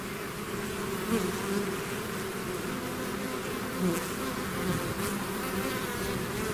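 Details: Natural buzzing of a honeybee-style swarm leaving its hive: constant droning hum with a few single bees whizzing near, giving short louder buzzes over the steady mass of wingbeats.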